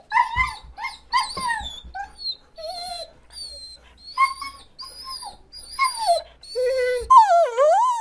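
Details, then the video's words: Crying dog giving drawn-out, quavering whines that rise and fall, some very high and thin, ending in a long looping howl-like whine; faint low rumble in the background at times. "SONIDO DE PERRO LLORANDO"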